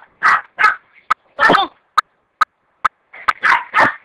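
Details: Dog giving loud, separate barks mixed with short high yips and clicks, irregularly spaced over a few seconds, the barks broad and punchy, the yips brief and thin, against an otherwise quiet background.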